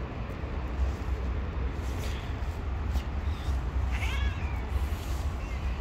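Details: A stray cat living on the street gives one clear, harmonic meow near the four-second mark that rises and then falls. Two fainter, shorter cries come earlier. A steady low rumble runs underneath throughout.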